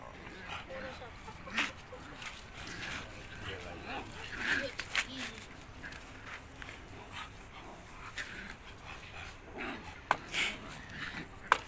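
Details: A small puppy, a relative's dog tied up at an ancestral home, gives a few short, high yapping barks and small whimpers among people's voices and background noise.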